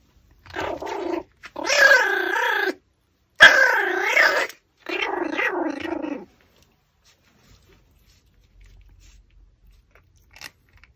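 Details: Pomeranian eating a raw pork backbone, giving four wavering, moaning whimpers of one to one and a half seconds each with short gaps, then quiet with faint rustling.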